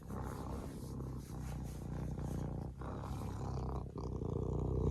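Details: Close, continuous purr from a serval: deep, pulsing rumble with fast regular throbs and even loudness throughout.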